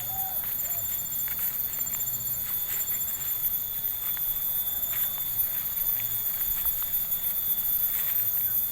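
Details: Village insect chorus in Subang, a constant high-pitched ringing hum of layered tones that never pauses, accompanied by crunching footsteps and a brief faint voice-like squeal near the start.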